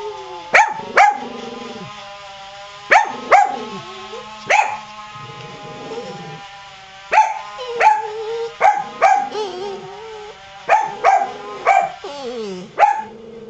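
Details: Qusi the dog barks in bursts of two or three sharp, ringing barks, set off by a rototiller running in the yard, while Hyzzie cries with wavering whines and moans between the barks.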